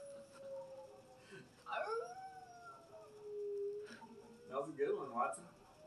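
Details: Pet dog howling along with the monthly siren test instead of barking; wavering, drawn-out howls bend up and down with rich overtones over a steady droning siren tone, and a person's voice is heard near the end.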